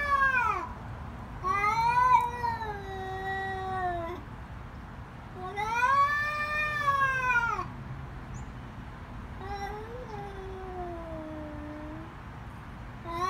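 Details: Loud screaming from fighting cats: a series of arching, harmonic-rich yowls, one long wavering wail fading out near the end, gaps of quiet hum between cries.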